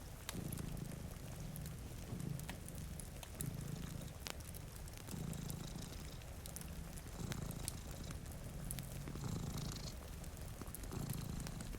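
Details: Sleeping cats by a rainy window near a crackling fire produce a deep, even purr that rises and falls with each breath at steady intervals, overlaid by frequent dry pops of burning wood and gentle rainfall.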